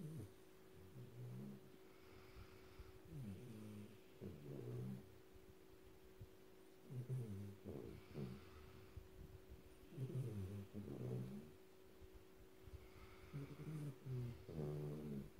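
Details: Black Labrador Retriever puppy, one of a trio of Labradors, snoring loudly while asleep: rough, low rumbling snores in bursts about every three seconds, with a steady faint electrical hum underneath.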